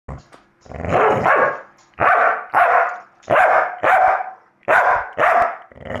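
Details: Staffordshire Bull Terrier barking at a recording of himself barking: harsh, broadband barks coming in quick pairs and short bursts, roughly one every second, with brief quiet gaps between volleys.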